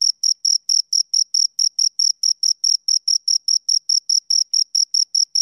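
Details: A pair of crickets produces crisp, shrill chirps in a fast, regular beat, each pulse short and identical, over complete quiet.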